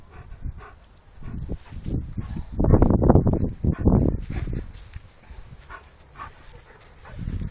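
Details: Giant Schnauzer at the Paillan Tremo kennel, Cba, giving a cluster of deep, rough barks in quick succession around the middle, with quieter scattered barks and rustling before and after.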